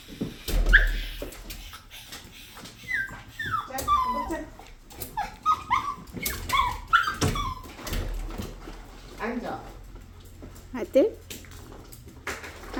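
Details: Pet dog whining persistently while a person talks, high sliding whimpers and squeaky rising-falling notes repeated over several seconds, mixed with speech and household noises.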